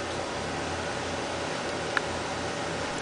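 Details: Constant hiss of fan-like background noise with one faint click near the middle.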